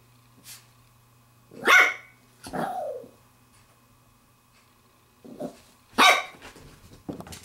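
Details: Playful Pembroke Welsh Corgi puppy, a 7-week-6-day-old female with a glove, lets out loud squeaky barks and a falling whine-like yelp, then a burst of grumbly yips, against a faint steady hum.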